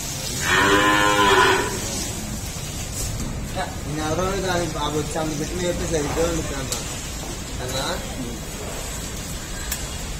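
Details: Heavily pregnant Jafarabadi buffalo, a milking breed, in its ninth month at a dairy farm in India, gives one loud harmonic moo lasting about a second, followed by quieter voice-like sounds and farm background noise.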